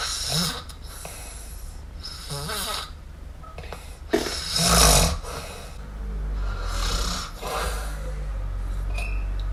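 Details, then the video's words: Asleep, the kitten MiuMiu snores in uneven breathy puffs, one sharper snort standing out midway, over a steady low background hum. "Cute Kitten Snore! Cute Miumiu Snore"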